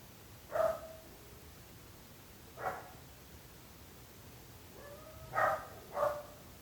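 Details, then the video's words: Barking dogs kept by neighbours, a nuisance to those living nearby: four mid-pitched barks with bright harmonics, a pair near the start, then two close together after a pause, over a quiet, steady background. "26 minuts gossos lladrant / 26 minutes barking dogs."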